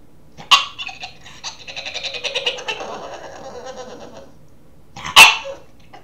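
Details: Boston terrier puppy wanting to play makes gremlin-like noises: a sharp yip, then a drawn-out raspy, gurgling whine that fades, followed after a pause by a loud abrupt yelp.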